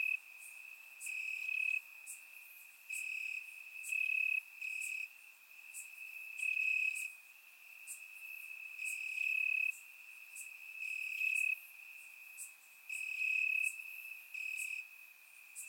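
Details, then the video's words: Night chorus of crickets chirping in Bulgarian grass on a warm summer evening: a constant shrill trill overlaid by louder pulsed phrases that switch on and off every second or two, about four chirps per second. "Cricket Sounds - Crickets Chirping at Night"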